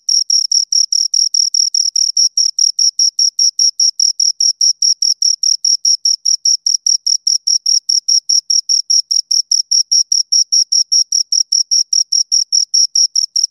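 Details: Pair of crickets giving a long, even run of sharp high chirps, roughly five pulses per second, metronome-like and uninterrupted, with nothing else audible in the background.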